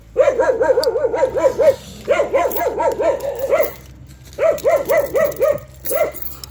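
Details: Tethered Jindo dog Cheondori on a cold day yips in rapid runs of arched, bouncing notes, about eight to ten per burst, three bursts separated by brief silences.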